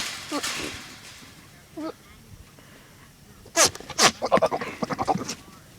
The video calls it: Goat making funny noises